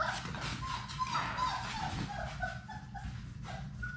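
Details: Playing Labrador Retriever puppies, six littermates indoors, making thin whining whimpers and short yelps, a few sliding tones early then choppy squeaks, with low room noise throughout.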